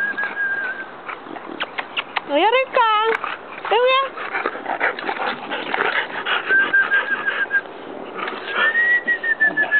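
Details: Bulldog puppies at play on a playground give two bursts of sharp, high yelping whines, each sliding up then down, amid background talking and a thin steady whistled tone near the end.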